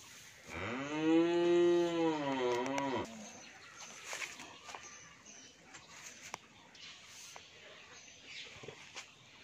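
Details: One strong, drawn-out moo of about two and a half seconds from an 11-month-old Australian bull calf at a Bangladeshi dairy farm in Pabna, followed by quiet farmyard background with small knocks.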